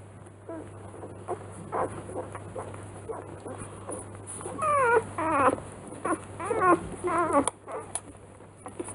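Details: Newborn Rottweiler puppies, three days old, in a kennel nest: soft scattered squeaks building to a run of wavering, squealing whimpers in quick succession, then fading, with a constant low background hum.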